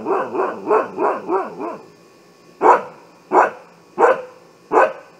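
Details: Siberian Husky sounding the alarm with a quick string of six wavering, yodel-like barks, then a gap and four louder, sharper barks spaced about two-thirds of a second apart.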